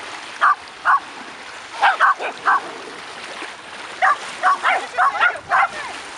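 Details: Beach outing on 3 August 2011 with a mother dog and her six ten-month-old puppies reunited; quick barks in loose bursts, two singles, a cluster of four, then a rapid run of about six, over steady surf-like hiss.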